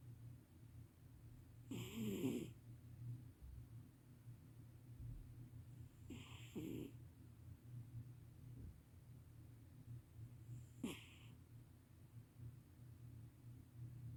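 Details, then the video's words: Loud snores from a sleeping cat, three raspy breaths spaced about four seconds apart, the first the strongest and the last short and faint, over a constant low background hum. "Sleeping cat snores loudly"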